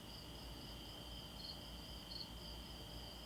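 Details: Crickets and cicadas outdoors on a calm, hot night in a neighborhood: a steady, unbroken high-pitched insect trill in two bands, quiet and continuous, over faint low background hum.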